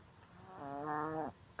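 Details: A sleeping female Chihuahua gives a single buzzy, nasal snore that swells and then cuts off.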